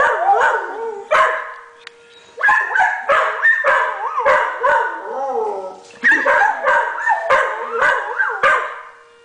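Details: A Blue Heeler and a rescue dog howl at a tornado siren, reacting to its long, steady sound. Choppy bursts of yips and short bark-like howls bend up and down in pitch, with a brief pause midway and a faint steady siren tone.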